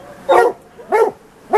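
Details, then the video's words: Hunting Plott hounds from the white deer line baying a treed tom lion; three sharp harmonic barks spaced about half a second apart, fairly clean background. "Lion Hunting with White Deer Plotts"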